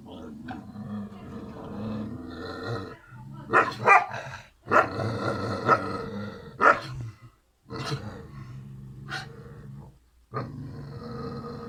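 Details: Karo and Karaca, two Kangal puppy siblings, in a long run of throaty, harmonic growls broken by short silences and a few harsher roaring bursts.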